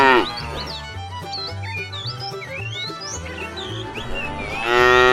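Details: Tame cows being driven on a long journey to fresh pasture; a moo fades at the start and another swells at the end, with lively chirping birds and a low background drone between.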